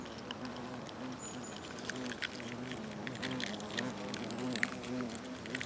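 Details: Nest of European hornets, Vespa crabro, in South Moravia, Czechia, during August 2024, where workers share food mouth to mouth; continuous low droning hum with wavering tones, broken by sharp clicks and crackles of bodies on paper.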